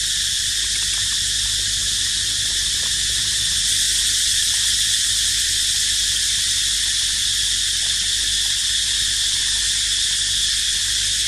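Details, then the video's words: Unbroken shrill insect chorus from cicadas, a bright metallic hiss holding the same pitch and loudness over eleven seconds, with faint scattered ticks underneath. "Amazing Sound Of Cicada Crying"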